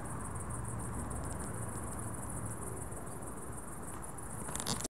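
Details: Crickets at dusk chirping shrilly in quick repeated pulses, about four per second, over low background rumble, ending in a brief broadband rustle.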